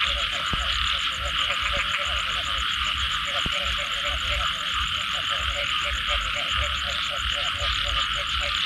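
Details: After rainfall, a frog chorus of quick, evenly repeated croaks pulses under a continuous bright shimmering drone and a high rhythmic trill, with two sharp knocks early on.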